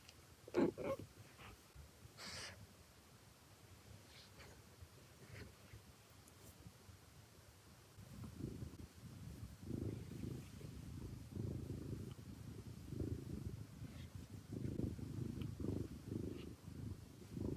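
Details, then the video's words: Domestic cat named BrownieBoo purring: quiet at first with a few faint clicks, then from about eight seconds a low rumbling purr in steady pulses, broken by brief pauses, with no human voice. "Purring ASMR with BrownieBoo"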